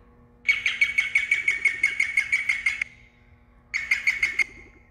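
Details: Guinea pig cry given when in pain, panicked or afraid: a shrill, steady squeal pulsed rapidly for about two seconds, a brief pause, then a shorter second burst of the same stuttering high note.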